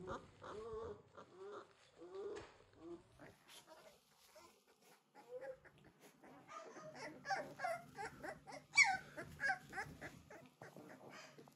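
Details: Three-week-old American Bully puppies from a King Clyde and Dynasty litter, 2022, giving a busy stream of short whimpers, squeaks and yips, several pups overlapping, growing louder and denser toward the end, with faint human voices.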